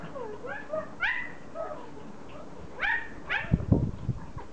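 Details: Pomeranian toy dogs, happy to see their owner back from vacation, give sliding whimpers and rising yelps in quick succession. Low thumps and handling noises follow near the end.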